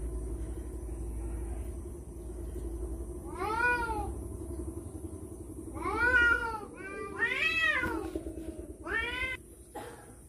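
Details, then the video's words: Cats fighting over a female: a run of wavering, arched yowls with rich harmonics, rising then falling, in four bursts from mid-clip onward, two of them overlapping, over a steady low rumble. "suara kucing berantem rebut janda"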